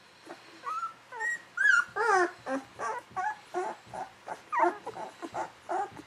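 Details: Young Golden Retriever puppies aged 11 to 13 days, a litter indoors; steady chorus of squeaky whines and yelps about two or three per second, some sliding upward, others warbling, from several pups at once.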